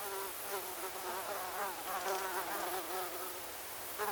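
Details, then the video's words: A cacophony of mosquitoes: a constant, layered, reedy whine, tones dipping and rising quickly as individual insects circle, briefly louder near the end. "Mosquito Cacophony 01 Ambience"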